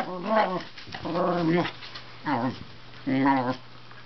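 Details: Wire Fox Terrier kept as a pet, talking to its owner at home while the owner sits at the computer. Four short, wavering, whiny yowls come roughly every second, each bending up and down in pitch.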